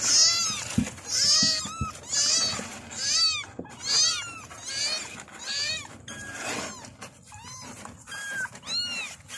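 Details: Several kittens calling for their mother, a rapid chorus of shrill arched meows repeated roughly once a second, overlapping voices at different pitches, with a few soft knocks in the background.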